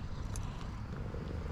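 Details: Tuxedo cat purring loudly while being petted: a steady, low rumbling purr runs unbroken through the whole stretch, with a few faint clicks and no voices over it.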